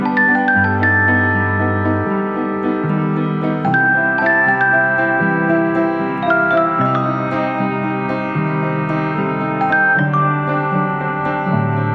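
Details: Bright piano and glockenspiel melody over a steady bass line fills the whole recording, with no animal sounds.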